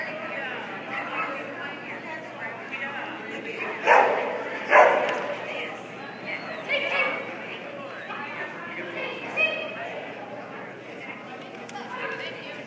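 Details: Border Collie named Turbo at a dog agility trial in Yadkinville, North Carolina, during a jumpers-with-weaves run: two sharp, loud barks in quick succession near the middle, with softer yips, over steady crowd chatter and nearby voices.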